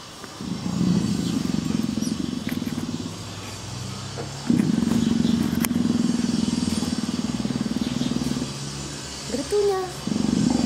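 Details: Greta, a gentle female leopard in heat, purrs continuously in low buzzing pulses, with a short quieter pause near four seconds, then resumes strongly; a brief human voice is heard near the end.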